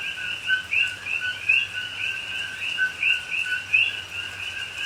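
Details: Rainy night in Pahoa, Hawaii, October 2021, with coqui frogs chorusing in the rainforest: bright upward-sweeping chirps overlap in quick succession, a few louder nearby calls standing out over soft falling rain.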